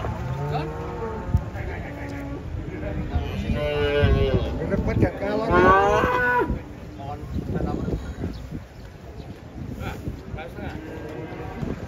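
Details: Cattle unloading from a truck, giving several loud, drawn-out moos that overlap, some rising and wavering in pitch, with clattering, thumping and rumbling in the background.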